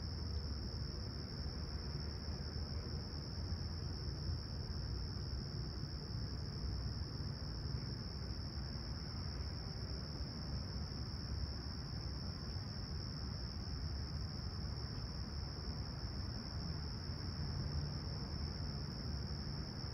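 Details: Crickets at sunrise in Toronto's Humber Bay Shores on a calm, clear summer morning, 28 July 2020, around 20ºC; their thin, high trill rings without pause for twenty seconds beneath a strong, steady background rumble.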